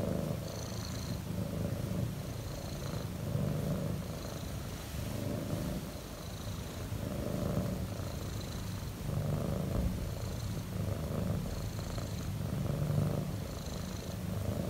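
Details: Relaxed domestic cat purring very loudly, a steady low rumble with rhythmic breathing swells about every one and a half seconds, each pulse carrying faint higher hiss bands.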